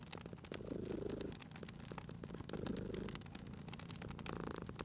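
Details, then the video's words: Domestic cat purring beside a crackling fireplace, two soft low rumbling purr bursts rising and falling, partly masked by sharp pops and snaps of burning wood and a steady low fire hum. "Cute Purring Cat at a Crackling Fireplace"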